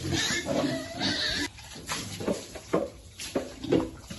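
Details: Happy piglets in cool water: a run of short, low grunts and oinks, some nasal and stacked, coming in quick uneven bursts with brief pauses between.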